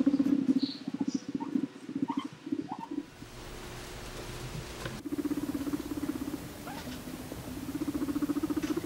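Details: A guinea pig gives a long, low, vibrating rumble purr in pulsing bursts while swaying its rear in an S around another guinea pig, a courtship or dominance display.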